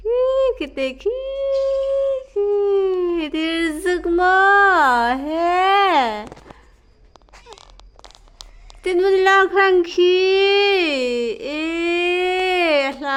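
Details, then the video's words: Indoor recording of a kitten making bizarre noises on seeing a lizard: long, wavering, drawn-out mewing tones that slide up and down in pitch, in two loud bouts separated by a quieter pause of a few seconds. "Kitten makes Bizarre noises when itsees Lizard"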